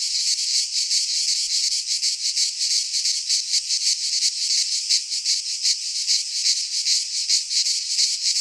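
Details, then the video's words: Cicadas singing in midsummer in a Greek pine forest: a dense, continuous high buzzing chorus with rapid pulsing throbs, steady and unbroken throughout, no other sounds. "Cicadas singing in midsummer - Nature sounds from the Greek fauna - Sounds of cicadas"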